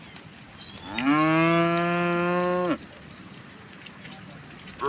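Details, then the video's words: Tame cows from a herd strolling toward a wide pasture on a quiet, sunny morning; one long, steady, deep moo lasting about a second and a half, with thin high bird whistles above and a faint background hiss. "the sound of cows"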